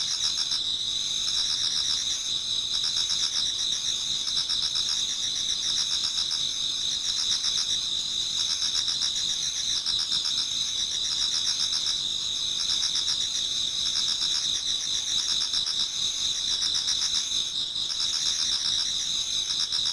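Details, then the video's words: Many autumn insects singing towards dawn in a Japanese garden: a steady high chorus of continuous trills with pulsed chirping layered over it, dense and unbroken throughout. "Autumn Insects voice Towards dawn"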